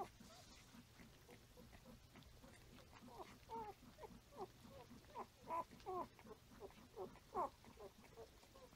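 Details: Five-day-old Standard Poodle puppies nursing on their mother and crawling around give a busy chorus of thin squeaks and soft whimpers.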